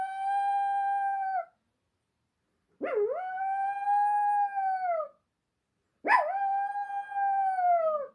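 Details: Domestic dog howling after an ambulance went by: three sustained, even-pitched howls, each about one to two seconds long, with the later two opening with a quick upward yip before holding steady and sagging at the end.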